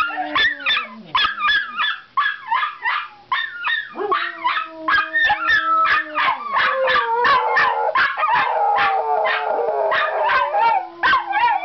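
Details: Miniature Schnauzers kept as pets yelp and howl as their owner comes home, quick rhythmic yips repeated about three per second over a sustained low howl, a chorus of several dogs.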